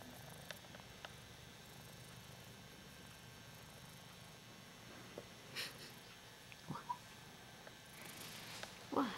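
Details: Ragdoll cat purring while enjoying being adored, a soft, steady, low rumbling purr running throughout, with a few faint brief voice sounds and rustles near the end.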